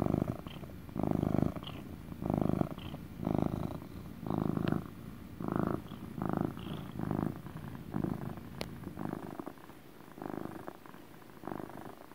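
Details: Male pet cat's steady motor purr: low, rumbling bursts rising and falling with each breath, about ten swells in twelve seconds, close and intimate with a quiet room behind.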